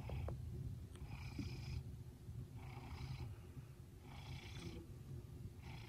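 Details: Fred, a 19-month-old red smoke Maine Coon, sleeping on his bed indoors on a stormy afternoon, purring softly: a low steady rumble with breathy bursts recurring about every 1.5 seconds.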